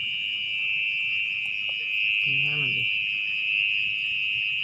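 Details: Mole cricket (orong-orong) keeps up a constant high, ringing trill from its burrow in wet ground at night; a short human voice cuts in midway while the nest is dug open.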